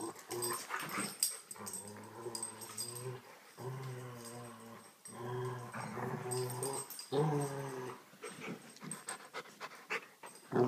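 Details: Rottweiler; play growl; playful growling during a game of tug of war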